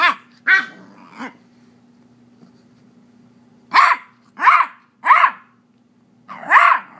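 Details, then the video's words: An 8-week-old female Beagle puppy, upset because her owner had her toy, gives sharp, high-pitched barks in short bursts separated by pauses. "Beagle puppy barking mad"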